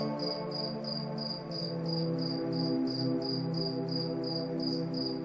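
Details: Crickets chirping at night under moonlight, short high pulses repeating about three times a second, evenly spaced, over soft sustained music with low drawn-out tones.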